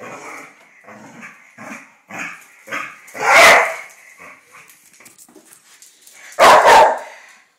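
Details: An argument between two Irish Terriers in May 2010: a run of low, pulsing growls repeated about every half second, then two loud harsh barks or snarls.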